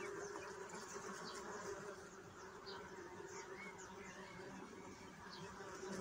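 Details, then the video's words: A constant low humming of bees with a ringing overtone, slightly louder at the start, and light bird twitters and chirps mixed in the background. "صوت النحل"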